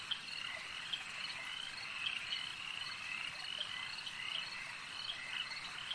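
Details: Many frogs calling at a lake, a dense overlapping chorus of trilled, pulsing croaks that runs without a break, with sharper notes rising out of the steady hum every half second or so.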